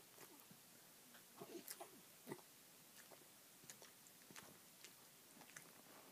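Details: A Dachshund that was sleeping sniffs in quick, breathy snuffles, short airy bursts with brief pauses, as it smells a treat and wakes up.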